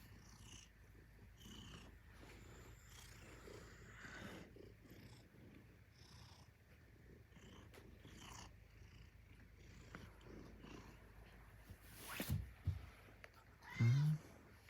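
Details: Alice, a pet Maine Coon cat, on day 522 of being an "alarm-clock cat": a steady deep purr runs the whole time, broken by louder rustling bursts near twelve and fourteen seconds.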